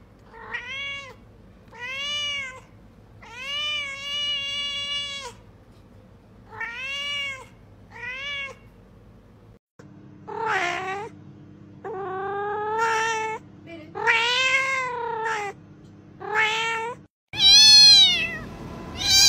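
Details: Cat meowing for something specific it wants; a run of clear arched, evenly pitched meows, then a second stretch of higher, sharper, more varied meows ending in a loud bright call, over a faint steady hum.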